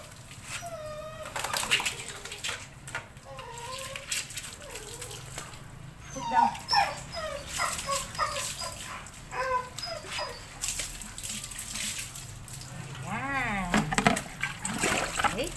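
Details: A pet Belgian Malinois at shower time gives high, wavering whimpers and whines in short bursts. Some rise and fall sharply, and one ends in a steep swoop near the close. People talk in the background.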